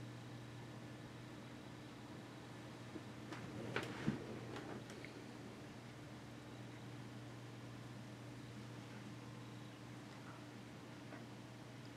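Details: A low electrical hum in a quiet indoor room, with a brief burst of rustling and clicks near the middle and no animal calls.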